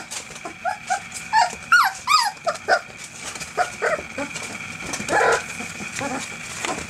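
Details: Eight field-type Springer Spaniel puppies, 25 days old, at play in the whelping box, giving rapid squeaky whines and little yelps that rise and fall, overlapping among littermates, with rustling movement throughout.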